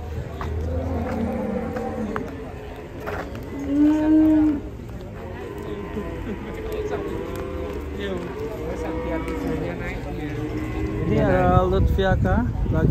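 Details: Cattle low in a series of arching, harmonic moos, one brief louder call around the middle, with voices and rough background noise rising toward the end.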